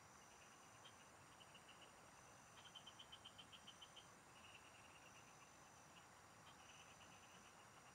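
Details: Field frogs in chorus, heard during fishing: a clear run of about ten rapid, crisp pulses stands out, followed by softer pulsed trains from other callers, with a faint steady hiss and high whine behind.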